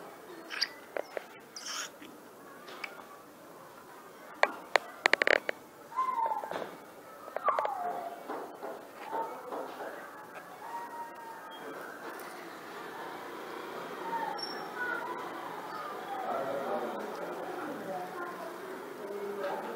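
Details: Domestic cat calling for food indoors: a few short, tonal meows, one bending down in pitch, mostly between six and eleven seconds, amid clicks, knocks and clattering, with a rising background hum and faint voices toward the end.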